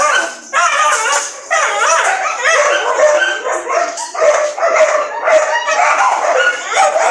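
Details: Several dogs keep up a steady stream of overlapping yips and barks. Each bark is short and harmonic-rich, the racket barely pausing for the whole stretch.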